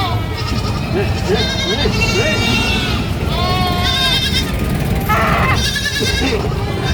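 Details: Screaming goat: loud, strained bleats rich in harmonics and wavering in pitch, heard in three bursts roughly a second long, spaced through the recording, over a steady low rumble and some faint lower voice-like sounds.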